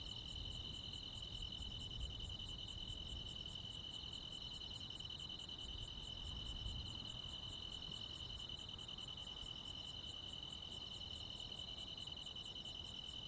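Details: Rural summer night with crickets and other insects calling. A dense high trill runs without pause, with regular piercing chirps about every 0.7 seconds, over a slightly stronger low rumble of background noise.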